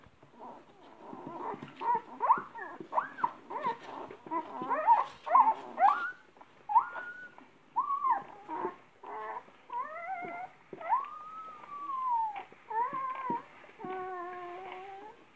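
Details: Great Dane female, European champion line, pregnant and later mother of eleven puppies, shown eating watermelon indoors: a run of high whimpering whines, some sliding arcs and steady harmonic tones, in uneven bursts with brief pauses.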